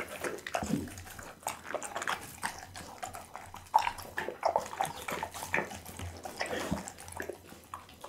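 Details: A pit bull named Bounce chews raw foods including lamb backbone, beef kidney and horse meat. Dense, continuous moist crunching and gnawing clicks come close to the microphone, with irregular louder bites throughout.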